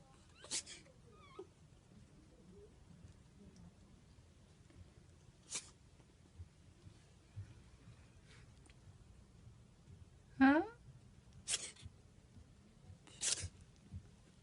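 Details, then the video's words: A sleepy pet ferret caught in a sneezing fit that leaves it tired: several short, sharp sneezes spaced a few seconds apart, two coming close together near the end, in a quiet indoor room. "Sleepy ferret sneeze attack フェレット くしゃみが止まらない"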